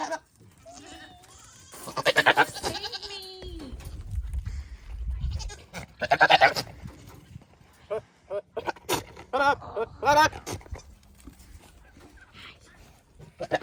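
A buck goat courting a doe gives loud, harsh bleats and blubbering calls, with a person talking in the background.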